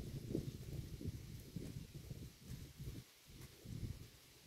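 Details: Close-up sound of a cow eating road grass: muffled low crunches and rustling bites, steady at first, then a brief quiet moment before a final burst of chewing.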